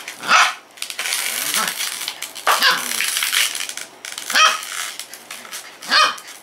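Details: Norfolk Terrier barking indoors, several sharp barks spaced about every one to two seconds, some higher yelping notes, with rustling and background noise between barks.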